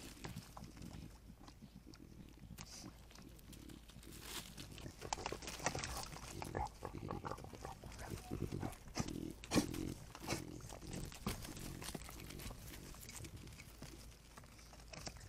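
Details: A mother javelina refusing to nurse her babies, snorting at the begging young and nudging them away. Rough grunts and snorts come in irregular bursts among scuffling, rustling movement noise.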